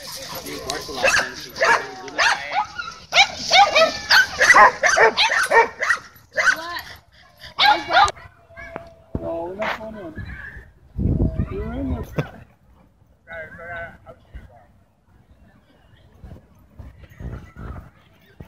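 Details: Dogfight at a dog park where leashed dogs inside the enclosure caused tension. A frantic burst of overlapping barks and high yelps runs for about eight seconds, then a steady tone, heavy thumps and voices follow as the noise dies down.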